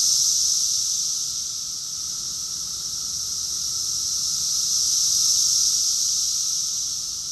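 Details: Summer chorus of cicadas in Rockville, Maryland, USA, June 2021: a dense, high, hissing drone that never breaks, swelling loudest near the start and again around five seconds, easing between the surges.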